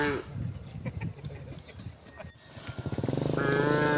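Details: Cows from a herd returning home through village streets on a bright morning, mooing: a long harmonic moo opens, then a rumbling stretch, and a drawn-out rising moo swells at the end over faint background sounds.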